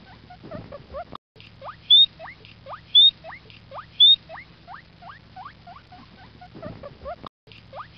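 A guinea pig gives a run of short, rising whistled squeaks, with a few shriller peeps mixed in.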